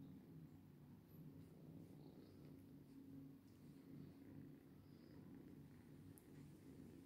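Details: Domestic cat purring steadily, a low continuous rumble with even rhythmic pulses throughout, no other clear sounds.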